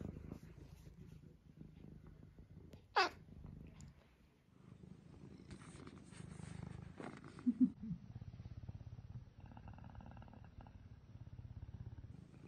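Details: Low continuous purring from Eric, a pet cat, rising and falling with each breath, interrupted by a sharp click, a rustling burst and a few brief squeaks.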